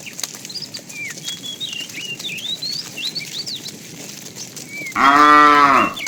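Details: Morning herding of tame cows to green grassy fields; birds twitter for five seconds, then a single short, strong moo breaks in at the end.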